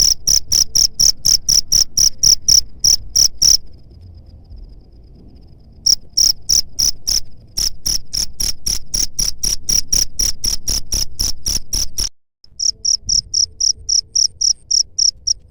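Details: Cricket sound meant to repel pest rats: rapid high chirps about four per second, broken by a two-second pause and a brief dropout, over a low background rumble.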